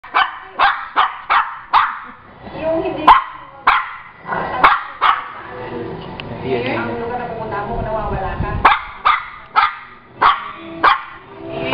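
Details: Pet Shih Tzu vocalizing as if telling a story: sharp yappy barks in irregular bursts, with a longer stretch of mixed talky yowling and background voices in the middle.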